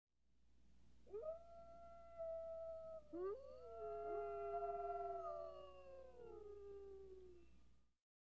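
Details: Coyotes howling and yowling. Several overlapping voices hold long, drawn-out tones that waver and bend. The howls rise sharply at the start, sustain, then sag lower toward the end. There is no other clear sound.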